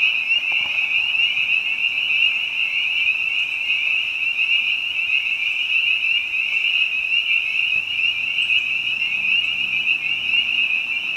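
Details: Spring peeper chorus in spring behind a house, other frogs joining in: countless piercing high peeps blur into a continuous shimmering whine, with soft low murmurs near the end.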